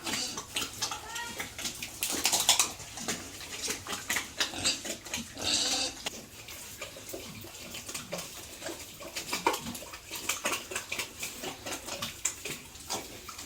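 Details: Pigs kept on a farmer's home farm at feeding time: two short, harsh, broadband squeal bursts stand out over a constant wet slurping and splashing of feed, with scattered clicks and knocks throughout.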